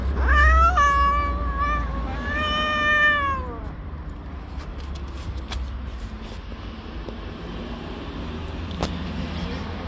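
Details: Angry tabby cat living on the street, protesting at someone touching her kittens: two loud, harmonic, drawn-out meowing yowls in the first four seconds, then quieter background with low urban rumble and faint scrapes.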